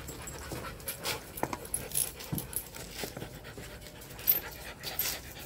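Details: Rottweiler during mating: quick, breathy panting in irregular bursts of broadband hiss, with scattered louder huffs and light scuffling or knocking noises throughout.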